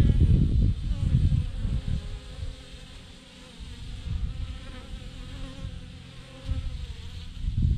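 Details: Honey bee swarm, thousands of bees hanging in a massive clump on a branch; a dense, low droning hum, swelling loud at the start and end and softer in the middle, with no other sounds.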